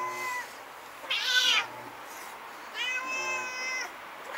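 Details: During a night battle between two stray cats, captured with a Nikon Coolpix S01 camera, one short, strained yowl bursts out, followed after a pause by a longer, steady, whining howl.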